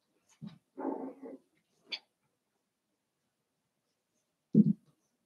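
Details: Seven-week-old Cavalier King Charles Spaniel puppies from Daisy's litter in an indoor home puppy pen give short, low, rough yelping bursts: a quick pair, a longer grumbling cluster, a sharp high click, then a loud yelp after a pause.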